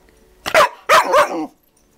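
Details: New puppy at home giving two short, high, yelping barks with a squeaky rising-falling tone, the second longer and wavering, in a quiet room.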